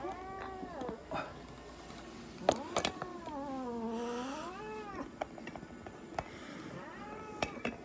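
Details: During an examination and blood draw at an animal clinic in Nagoya, Japan, a Munchkin cat lets out low, drawn-out moaning cries that dip and rise, with sharp clicks and knocks of handling between them.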